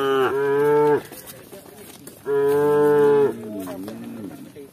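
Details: Village cows walking along with shepherds; two loud, steady, one-second moos about two seconds apart, followed by a softer, wavering lowing call.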